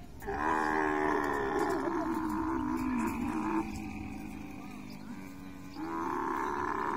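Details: Mating camel producing long, harmonic groaning roars whose pitch slides and wavers, softening through a quieter middle stretch and then building again near the close.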